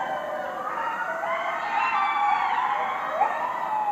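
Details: Neighborhood coyotes howling loudly at night: many overlapping quavering voices weave rising and falling wails, with a brief sharp yip-like break near the end of the chorus.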